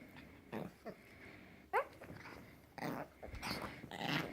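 A puppy makes odd little squeaks, whines and grumbling noises in short irregular bursts indoors.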